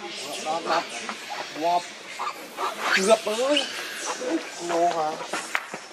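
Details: Baby monkey Leo, hungry and crying as he begs his mother for milk: a run of short, arching wails that rise and fall, repeated in quick bursts with brief gaps, with faint outdoor background noise.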